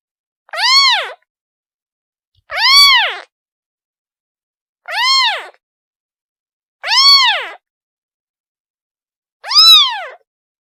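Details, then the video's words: A young kitten cries out for its mother in five evenly separated meows, each a sharp upward-then-downward arch rich in overtones, roughly every two to two and a half seconds, nothing else audible. "The sound of a kitten calling its mother"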